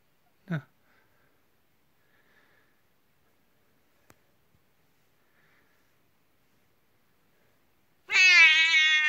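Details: At bedtime Kuku-chan, a 19-year-old house cat, calls to be joined and greets with joy. Near-silence and a brief soft sound come first, then a loud, bright, sustained meow begins at the very end.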